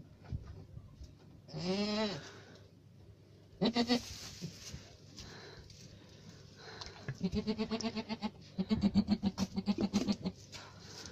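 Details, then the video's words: Alpine goat on a farm, bleating in loud harmonic calls: one rising bleat near two seconds, then a burst near four seconds and a long run of rapid stuttering, vibrato bleats from seven to ten seconds; steady low hum beneath. "alpine goat"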